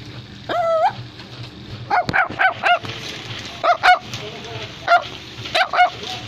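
A Chinese Crested Dog gives a drawn-out whining yelp, then sharp, high yappy barks in quick pairs.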